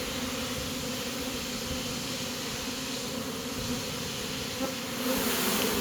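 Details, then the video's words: Swarming honey bees entering a new home after deciding they like it; a thick continuous buzzing drone, even throughout, with a slight swell in loudness near the end and a few light ticks. "Catching a Honey bee swarm!"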